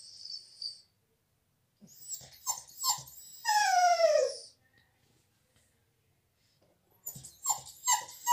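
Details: A dog cries, shut out of the salon while a visitor is there; scattered soft whimpers lead to a loud, drawn-out whine that slides downward, then a short pause and another burst of whimpering.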